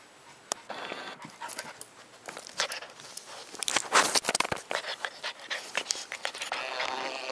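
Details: Loud, rapid panting from Leroy, a pet Border Collie: dense, rough, breathy strokes repeated quickly, swelling to a peak midway and continuing as a steady hiss of fast breaths.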